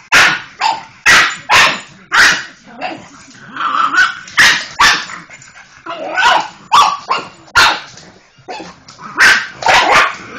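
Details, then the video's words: Molly, a pet pug, barking frantically at a Hoover vacuum cleaner: rapid bursts of sharp, broadband barks, some in quick pairs, with growly whining yelps filling the gaps between them. "Pug, Molly going mental at the Hoover"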